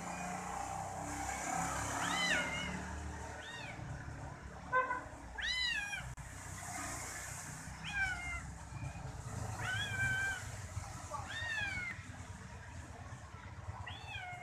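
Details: A kitten that enjoys being massaged by its owner's toes presses against the foot and calls. It gives a series of high, arched mews every second or two, some short and some drawn out, over a low constant hum.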